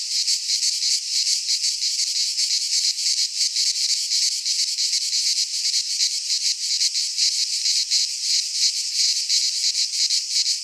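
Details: In a Greek pine forest at midsummer, cicadas sing as one shrill, unending electric drone with rapid, slightly uneven pulsing, a wall of insect noise without birds or wind.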